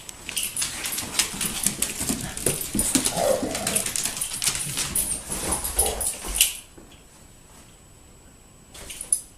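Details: Two dogs, Janky and Hiccup, playing indoors: about six seconds of dense, scuffling growls and yips with rough, noisy bursts, then near quiet with one last sharp sound near the end.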